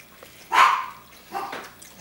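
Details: Two quick yappy barks from a puppy at play in 2014. The first is loud and bright, and a softer second follows about a second later in a quiet indoor room.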